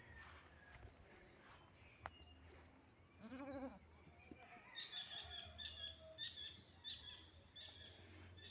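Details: Goat among three mother does, each with one kid: a single short, wavering bleat near the middle, then faint high chirping from other birds over a low steady hum and outdoor background.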